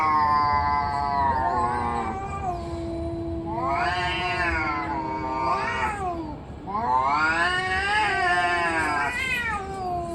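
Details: Fighting cats trade long, wailing yowls that swell and bend in pitch, with a low steady growl running underneath between louder rising howls.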